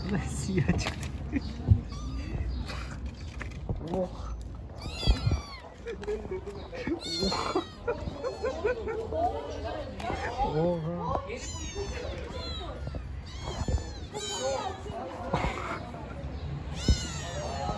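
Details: Little stray kittens on the street meowing again and again, short arched high cries from several kittens overlapping throughout, while people chat in Turkish nearby and a low outdoor hum runs underneath.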